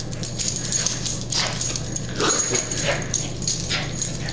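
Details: Beshert, a dearly missed dog, in 2005 during a game of fetch: short, sharp yips and whimpering bursts come every second or so over a steady low electrical hum, with a person's playful voice nearby.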